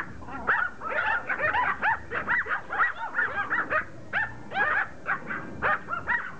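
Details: A group of Pomeranians attacking a rugby ball, yipping in rapid short bursts, several high squeaky yelps a second layered with whines and growls, outdoors.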